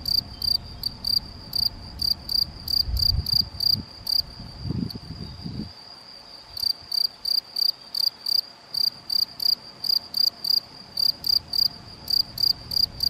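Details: Field cricket male (Gryllus campestris), Vila do Conde, Portugal, 7 May 2021, Canon PowerShot SX70 HS: rapid series of bright, high chirps, roughly three per second, broken by a short gap, with some low rumbling handling noise early on.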